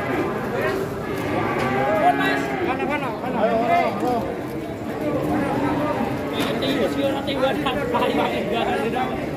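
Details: A herd of huge fattened Indonesian cattle moos in drawn-out, wavering lows, one after another, while many human voices chatter around them.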